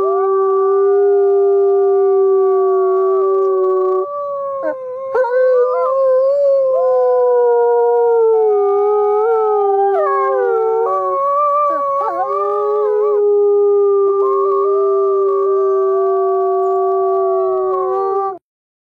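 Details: A chorus of wolves holds long level howls. The voices weave up and down in pitch, breaking briefly around the middle before resuming in steady layered tones that end abruptly.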